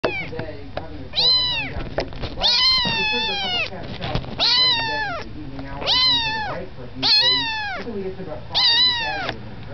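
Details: Tiny kitten indoors, too small to climb onto a bed, giving loud arched meows with rich harmonics, six calls roughly every one and a half seconds, each rising then falling.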